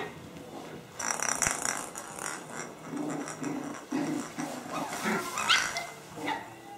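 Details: Puppies playing with gusto, a run of soft growls and yips with a brief high squeal near the end, rough textured noises overlapping throughout.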